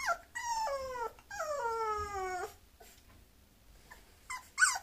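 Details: Two sustained, falling whines come from a Bulloxer, a mixed-breed dog, each gliding from a high to a lower pitch with rich overtones. A pause follows, and a short sharp yelp closes the clip.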